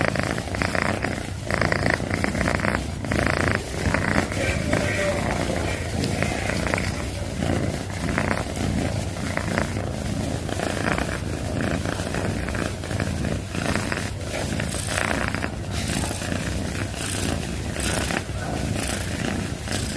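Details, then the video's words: Domestic cat purring loudly and without pause, a steady low rumbling throb that carries through the whole stretch with faint rhythmic pulsing and no other clear sounds. "CAT PURRING - Loudest Purring Cat Video - Cat purring sounds || Suara Kucing mendengkur"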